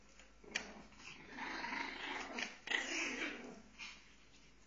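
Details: Fighting Pomeranians trade a continuous throaty snarl that swells and fades, punctuated by a few sharp clicks and snaps.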